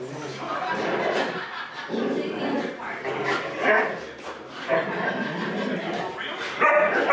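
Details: Huskies left home alone while their owners run errands, one of them Gertie at one year old, give rough, talk-like whines and yips in overlapping bursts, with short higher whimpers near the end.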